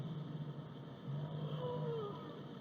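A whale gives a brief tonal call that slides downward over a low, steady underwater rumble.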